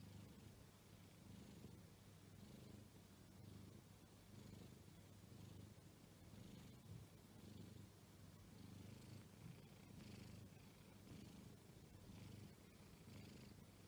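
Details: Exotic Shorthair cat giving a continuous low purr, rhythmic rumbling pulses close to one per second, soft and unbroken throughout, recorded close with light background hiss.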